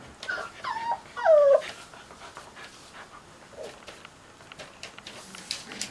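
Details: Cocker Spaniel puppies chilling with a new friend: several short, high, whining whimpers slide downward in the first two seconds, the loudest a drawn-out falling whine, followed by a quieter whimper and soft rustling and clicks.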